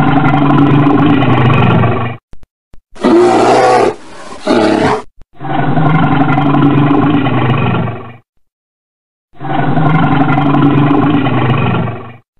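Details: Bear called a red bear, with long, deep, droning roars repeated several times, plus one harsher, wider growl of about two seconds; brief silences separate the calls.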